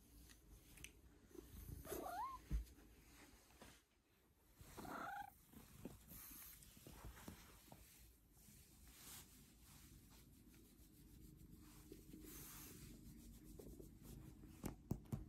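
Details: Domestic cat purring steadily as a low, rumbling throb that continues throughout, with two brief high chirp-like notes near the start and soft rustling in the background.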